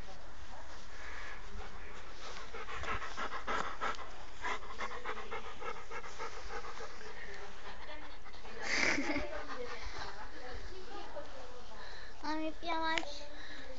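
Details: Amadis de Gaula, a friendly, playful, affectionate Rottweiler, pants rapidly in steady, rhythmic breathy pulses for several seconds. A person talks nearby, and a short voiced sound near the end stands out.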